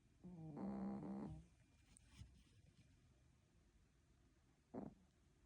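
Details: A sick Spitz dog snoring: one long, low, nasal rasping breath lasting about a second, then quiet, and a short faint snort near the end.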